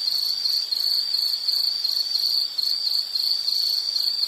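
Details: Insects recorded for calming background sound: continuous shrill chirping in a high band, beating in quick even pulses with slight wavering loudness, over soft hiss.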